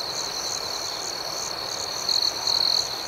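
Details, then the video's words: Night crickets forming a dense, high, shimmering chorus of fast pulsed chirps, with a closer, brighter trill rising above the others in two short bursts near the end. "Soothing Cricket Sounds"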